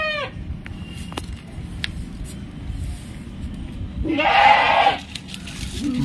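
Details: Punjab Barbari dairy doe, with seven to eight teeth, kept at home in Naihati, India, gives a brief falling call at the start, then a loud wavering bleat lasting about a second near the end, with speech around it.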